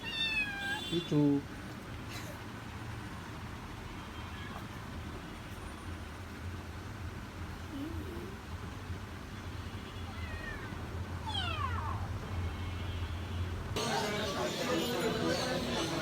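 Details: Two-month-old kittens from one litter for sale at a cat market, fed fish and chicken; a few high, descending meows stand out early and again near the end, over steady men's conversation and low market rumble.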